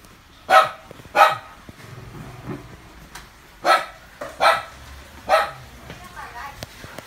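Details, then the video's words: Dog Chloe barks on the morning of 5 July 2019: six sharp barks in two loose groups, with low voices and faint background noise between them. "Chloe barking in the morning"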